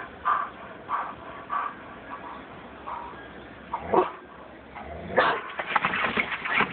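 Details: A two-year-old female German Shepherd guards against a woman consolidating recyclables, giving evenly spaced moderate barks, then a louder, denser volley of barking near the end over steady background noise.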